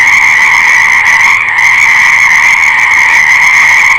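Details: Continuous chorus of frogs, a loud, even buzzing trill of many voices at once, with a momentary slight dip in the sound partway through.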